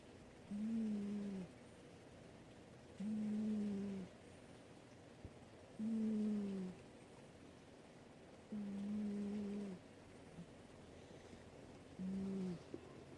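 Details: Boscoe, a sleeping cat, snoring: five low, steady humming snores, each about a second long, repeating roughly every two and a half seconds over a quiet background.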